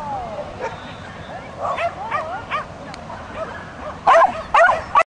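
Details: Ronja, a female Swedish Vallhund doing agility, makes wavering whiny, voice-like sounds before ending with three loud, sharp barks in quick succession.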